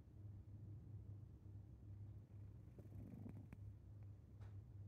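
A sleeping Maine Coon breathes loudly, with a deep, steady rumble that swells and fades with each breath.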